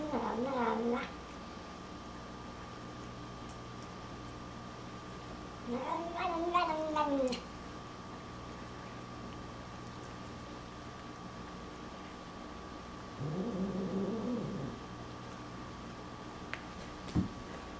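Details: Snoopy, a pet cat, complains during his nightly hairball medicine, a mix of protest and 'nom nom'. Three drawn-out, wavering meow-like calls, near the start, middle and end, separated by quiet stretches indoors.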